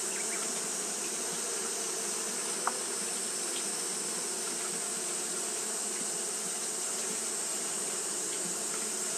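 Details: Japanese honey bees fanning through a hot day: a constant low buzzing drone with rich overtones, one sharp click early on, and a persistent high hiss.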